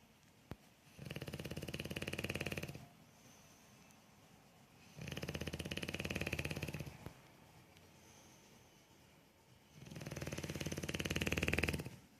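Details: Bulldog snoring indoors: three long, rasping, buzzy snores, each lasting about two seconds and coming roughly every four to five seconds, with quiet breathing between them and a small click near the start.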